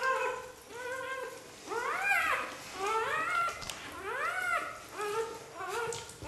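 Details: Xoloitzcuintli puppies from the first xolo litter in Switzerland, indoors, giving high whining whimpers with rising-then-falling arched tones, several overlapping cries in quick succession, some squeaky and strained, with faint shuffling between calls.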